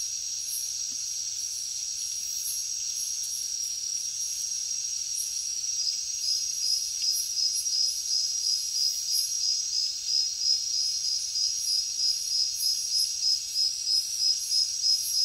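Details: Crickets chirping in a high, steady chorus, the pulsed trills growing stronger and more rhythmic in the second half, about three chirps a second, with a faint hiss of higher insect buzzing above.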